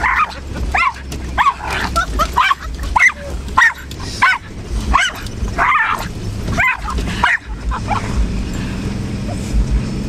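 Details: Jasper, a pet dog, barks at trees as if guarding the family from them; sharp mid-pitched barks come in a loose series roughly every half second to second for about seven seconds, then fade to a low background hum.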